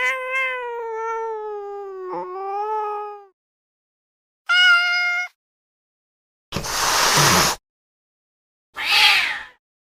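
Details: Domestic cat: a long, slightly falling meow lasting over three seconds, a short higher meow, then two sharp, breathy hisses about two seconds apart.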